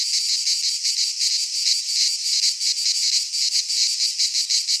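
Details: Midsummer cicada chorus recorded in a Greek pine forest, a harsh high electric buzz pulsing roughly three times a second in an unbroken wall of sound, nothing else audible.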